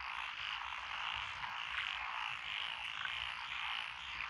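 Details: Dense frog chorus in lotus rice fields of Echizen, Fukui, Japan, recorded June 12, 2021, with Japanese tree frogs, pond frogs, wrinkled frogs and green tree frogs: continuous buzzing croaks blending into one unbroken wall of sound.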